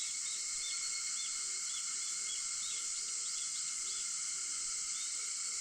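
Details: Early-morning cicada chorus recorded at 4:50 on 4 August, a constant shrill hiss-like buzz without pauses, layered over steady ringing insect tones, while small bird chirps flick through the background.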